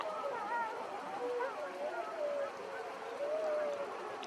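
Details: Several gray wolves of the Wapiti Pack in Yellowstone National Park howl together one morning, long sustained tones overlapping and gliding gently up and down; 13 pack wolves were seen.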